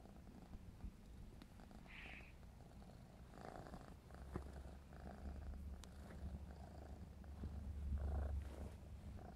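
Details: Clarence, a 4½-month-old black smoke Maine Coon kitten, purring while playing: a steady low rumbling purr with rhythmic pulses throughout, a short high squeak near two seconds and faint handling noises.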